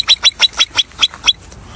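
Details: Marmot giving a rapid series of sharp, high whistles, about seven piercing notes spaced roughly every fifth of a second, then falling quiet.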